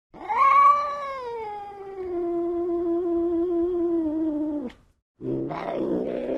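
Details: Domestic cat giving a long drawn-out meow, about four and a half seconds, steady and slightly falling, ending abruptly; after a short silence a noisier, rougher burst of sound follows.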